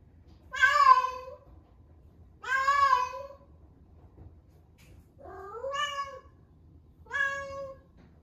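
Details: Female rescue cat, 11 months old, at the peak of her first heat, calling indoors in Osaka: four long, harmonic meows about a second each, spaced roughly two seconds apart, the later ones lower and more drawn out.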